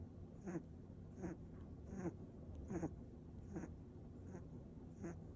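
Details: A mixed-breed pet dog snoring softly indoors, a quiet breathy rasp repeating roughly every second in an uneven rhythm over a low background hum.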